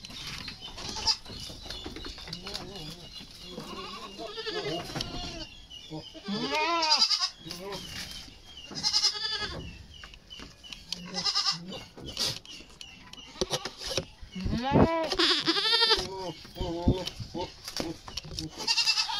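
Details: Goats at weaning age during deworming give repeated quavering bleats, many in quick succession and some overlapping, amid steady handling clatter and occasional human voices.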